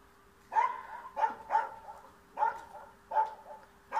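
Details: Yard dog in Bulgaria driving a cat away, barking in bursts: six loud, ringing barks, some in quick pairs, separated by short pauses, over a steady background hum.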